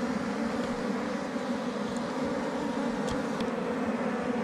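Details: Honey bees at a wild hive hidden under rocks in the forest, found by a bee catcher collecting honey: a steady, dense droning hum with a low, even tone throughout, and a few faint clicks and ticks over it.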